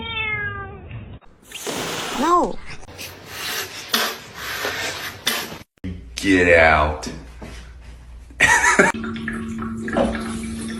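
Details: Domestic cat in a funny-cat compilation, giving short arched meows that rise and fall, with harmonic upper tones, among abrupt edits, human speech and laughter, and indoor room noise.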